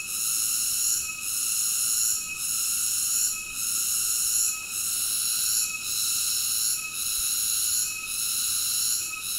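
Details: Insistent cicada song: a dense, high, sizzling drone that swells and briefly fades at an even pace, about one beat per second, with no other sounds.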